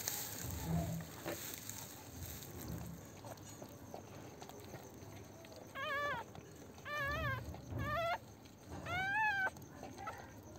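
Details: Newborn Pomeranian puppies on their first day, born at home: four high, wavering whimpers with rich harmonics come between six and ten seconds. Each lasts about half a second and arches up then down, over a low household hum and a soft early thump.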